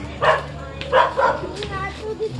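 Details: A female husky, described as a Belgian Husky and as pure husky, gives short, yelping woo-like calls over faint music.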